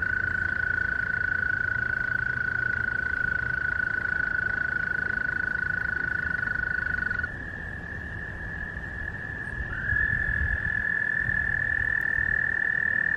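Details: Chorus of American toads seeking partners for reproduction, long unbroken high trills sustained for seconds at a time, one caller handing over to another midway and a loud trill resuming near the end.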